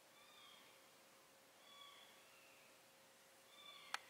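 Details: Mother cat carrying her four kittens to a new place: three faint, drawn-out harmonic meows spaced about a second and a half apart over a quiet background, ending with a sharp click.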